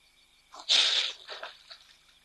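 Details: At the Ol Donyo waterhole near Mount Kilimanjaro in Kenya, a drinking caracal gives a sharp, explosive hiss to defend itself from a persistent attacking white-tailed mongoose.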